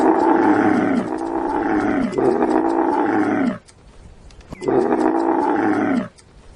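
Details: Camel grunting: three long, deep groaning calls, each lasting about a second, rich in layered tones and slightly falling at the end, separated by short quiet gaps.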